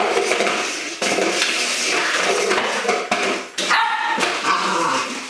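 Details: Holly, a pet Welsh Springer Spaniel, plays with an empty milk powder container used as a toy indoors; a short harmonic bark rises near the end over steady scraping, rattling clatter of the container.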